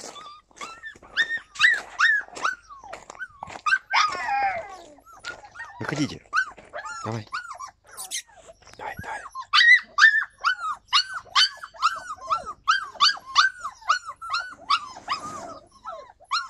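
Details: Yakutian Laika filmed in July 2020, giving rapid high-pitched yelping barks and yips, arched tonal notes repeated about twice a second, with a few harsher growling bursts mixed in midway.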